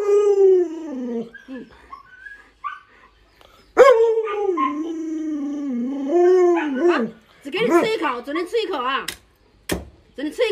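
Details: Luoluo, a pet Alaskan Malamute, howls while the owner holds back food and allows only one bite. Long, wavering, harmonic tones slide downward, with a sustained middle stretch. A person talks in the final seconds.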